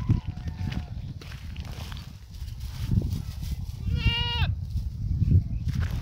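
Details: Goat eating grass outdoors; steady low rustling and chewing noise throughout, then a single short, nasal bleat with a slightly wavering pitch about two-thirds of the way in, lasting half a second.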